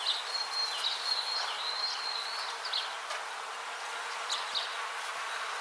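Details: Buzzing bees in a natural setting, heard as a continuous grainy drone with slight pulsing swells, overlaid by faint high whistling lines and scattered short ticks and chirps.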